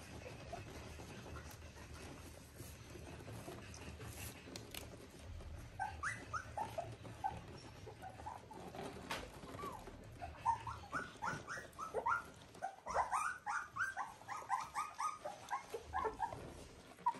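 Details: Three-week-old Border Collie puppies of one litter squeaking: scattered short, high whines at first, then denser, louder bursts of rising and falling whimpers in the final seconds over soft background rustling.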